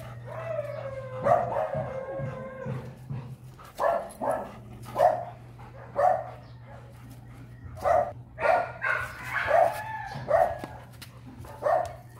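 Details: Dog reacting on first seeing a female, opening with a long wavering whine, then a run of short sharp barks spaced roughly half a second to a second apart, with a steady low hum underneath.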